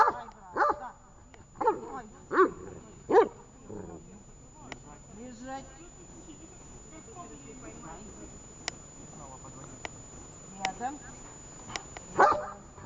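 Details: Dog barking during a training session in Horlivka, 18 August 2019: several sharp, separate barks in the opening seconds, then a quieter stretch of human speech with faint clicks, and one more loud bark near the end.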